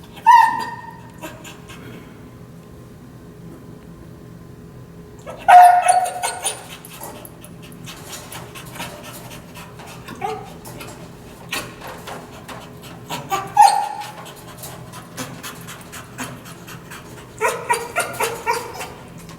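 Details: Anxious dog confined in a kennel, whining, salivating and biting the kennel bars during training with a prong collar; high thin whines come three times, separated by loud metallic clanks and rattling of the bars.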